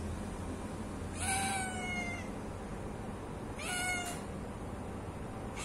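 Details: A hungry cat meowing twice, each call about a second long with a gently falling pitch, the two spaced roughly two and a half seconds apart against steady low-pitched room noise.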